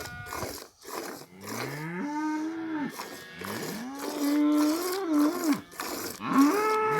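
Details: Lowing from a cow kept in a village: several rising, wavering moos in quick succession, each swelling upward before falling off, with short bursts of rustling noise between calls.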